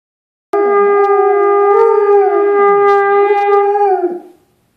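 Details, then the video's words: Dog singing along to 'Taps' holds one long howl of about three and a half seconds, steady in pitch with slight wavering, then slides down as it fades out. "My awesome dog singing 'Taps'"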